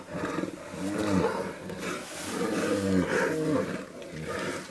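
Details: Brown bear giving a deep harmonic roaring call in repeated moaning bursts, with grainy, rumbling texture under the low tones and a brief lull midway.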